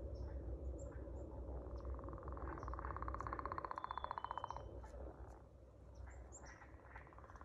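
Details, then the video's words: Singing frog: a rapid pulsed trill of about two seconds stands out over a dense, steady background chorus, with thin high bird whistles above. "Singing frogs"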